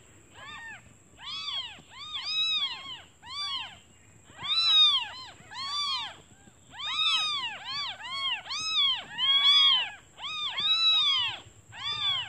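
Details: Hungry newborn kittens calling for their mother, who has gone out to find food; a chorus of shrill arched mews in clustered bursts, several kittens overlapping, rising and falling in loudness over a quiet background.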